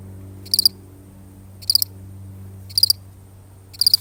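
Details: Lone cricket giving four bright, high chirps, each a tight burst of three quick pulses, repeated about once a second against a faint low droning hum.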